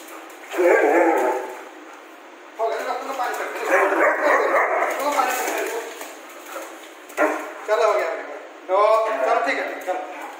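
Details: Rambo, a German Shepherd upset with its owner over too much bathing, gives grumbling, moaning vocalisations in several bursts, rising and falling whines with barky edges, separated by short pauses, steady hiss underneath.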